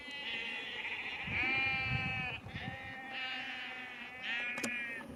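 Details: Sheep near Cefn Coch, Powys, Wales, being called and moved down a lane by a farmer on 31 March 2021; several shaky, vibrato bleats in close succession, one louder burst near the middle, with a sharp click toward the end.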